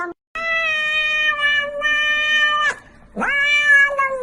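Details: A cat makes two long, steady, nasal meows. The first is held for over two seconds. After a brief pause, the second swoops up at its start and then holds level.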